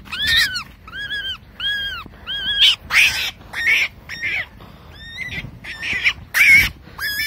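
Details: A caught wild baby rabbit crying: a series of high, shrill, arching squeals with strong harmonics, about a dozen cries in quick irregular bursts, some harsher and noisier, with faint background rumble between calls.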